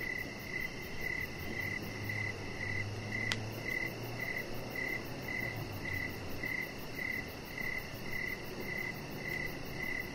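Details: Evening cricket chorus near a deck with a resting chihuahua puppy, regular shrill chirps repeating roughly twice per second, one sharp click midway and a low hum in the background.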